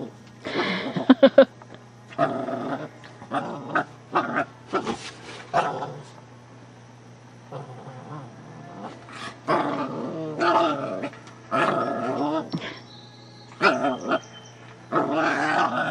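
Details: Shih Tzu puppy pestering the household cat, which does not much mind; short rough growling bursts with harmonic whines come in irregular spurts about every second or two, separated by quiet gaps, over a steady low indoor hum.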